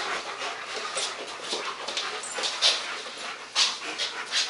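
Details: Playing German Shepherds Max and Ace, recorded 14 September 2015, give hissing, airy pants roughly once a second, with a few sharper high-pitched snorts standing out over a steady rustle.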